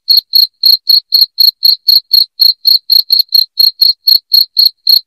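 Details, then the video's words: Shrill cricket chirps, loud enough to chase rats away from a house, come in a brisk regular series of about four short pulses each second, clean and without background noise. "SUARA JANGKRIK NYARING"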